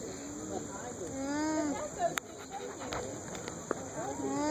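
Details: Alpaca off by itself at a farmer's market, humming to communicate with another alpaca in a nearby pen, filmed on a phone; soft low steady hums, short and wavering, under busy crowd chatter and clatter.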